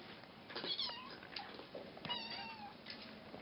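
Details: Bengal and Cashmere kittens, nine to ten weeks old, at play with a fishing-rod toy in March 2015: several thin, high, short mews and squeaks amid rustling and thumping of play.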